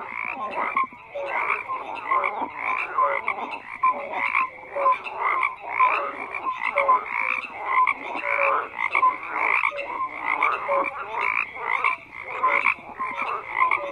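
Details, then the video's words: Dense chorus of frogs croaking without pause, harsh rattling calls stacked on one another in rapid waves, short clear notes popping out of the mass. "FROGS CROAKING"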